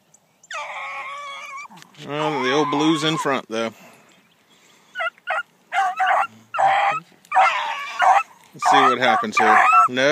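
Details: Bee, a new female Blackcreek hound out on her first morning run down a trail. Loud drawn-out bawling notes are followed by bursts of shorter, choppy barks with brief pauses between.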